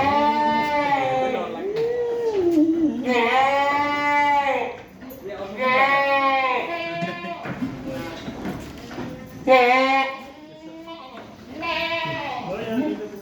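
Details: Boer goats on a farm in Pokhara give long, wavering, nasal bleats, each lasting one to two seconds, repeated several times with short pauses, over a steady background hum.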